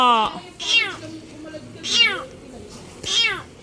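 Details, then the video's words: Kitten with its paws crushed and trapped under a vehicle, meowing in distress: three loud, high, harmonic cries about once every 1.2 seconds, each sliding downward, with a person speaking softly in sympathy. "KUTING NAIPIT SA ILALIM NG SASAKYAN"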